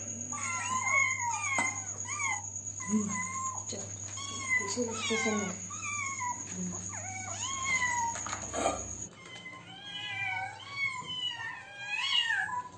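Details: A litter of hungry kittens asking for food, calling in quick high meows with sharp downward bends, several at once, steady for the whole stretch, accompanied by a low hum and occasional soft thumps.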